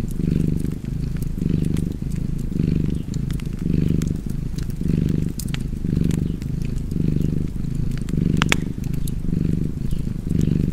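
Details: Cozy domestic cat purring beside a fireplace: a deep, steady rumble that swells and eases with each breath, about nine cycles, while sharp wood-fire crackles and pops sound throughout.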